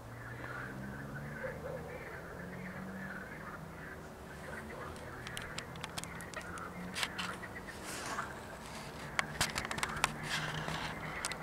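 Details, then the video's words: Water frogs croaking in chorus on 31 May 2021, with black-headed gulls nearby: a steady rattling croak fills the background while sharp gull calls and clicks grow busier in the second half over a low rumble. "Rechot żab wodnych"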